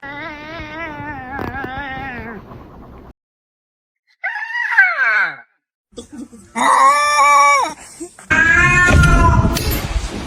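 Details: Cat giving odd, strange meows: a long, low, wavering meow, then abrupt cuts to higher, shorter, bending meows and a loud, harsh, drawn-out wail at the end, with silent gaps between the choppy segments.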